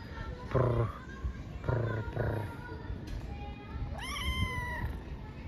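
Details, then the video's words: Stray street kitten in Istanbul meowing for affection rather than food: a single bright, drawn-out meow that rises then slowly falls near the end, after a woman speaks softly in Turkish and makes trilling sounds. "Street kitten meows for affection rather than food"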